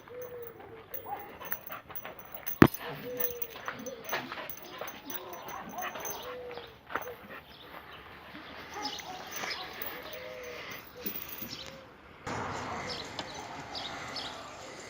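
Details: Red-nose pit bulls, Oscar and the chocolate-coloured Müdür, brought together outdoors for mating; a dog gives repeated short high whining arcs through the first half, with a sharp knock near the start and people talking throughout.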